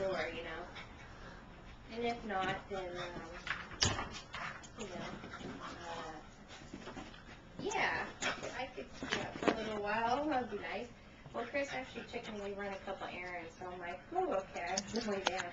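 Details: Male pug at home, eager to play with his laser pointer, 'talks' in wavering, whiny moans and whimpers that rise and fall in pitch, coming in bursts, with people conversing in the background indoors.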